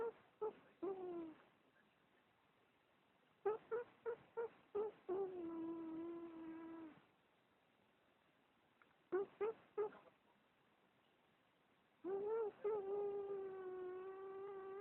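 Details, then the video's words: A cat producing odd mews on a low-quality recording: bursts of quick, choppy stuttering calls, each followed by a sustained, steady, harmonic-rich wail, repeated three times with silent gaps between. "Funny cat. Weird Mew"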